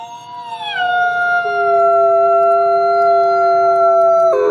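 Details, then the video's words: Gray wolf Nikai, captive-born ambassador at the Wolf Conservation Center in South Salem, NY, howls in snow: a loud sustained tone that drops early, then holds a long, steady, clear pitch before breaking off. "Beautiful Wolf Howls in the Snow"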